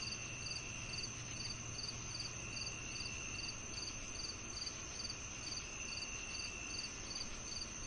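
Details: Crickets, shared for tinnitus relief, give short high chirps repeated about every 0.4 seconds in a steady rhythm, over a continuous high insect whine and a low background rumble.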